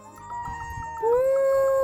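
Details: Cat in a struggle over fish, giving a drawn-out, steady meowing cry that rises slightly and then holds its pitch for about a second, after a softer tonal sound, with a person talking around it.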